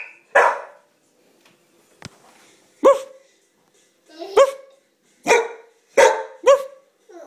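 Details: Shadow, a female house dog, barking while a baby giggles at playtime; one bark, a faint click, then six harsh barks coming faster toward the end.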